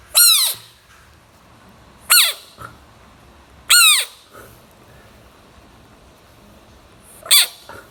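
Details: Small bullfrog giving four sharp shrieking screams, each a short harsh burst sliding downward in pitch, separated by pauses of one to three seconds against faint background hiss.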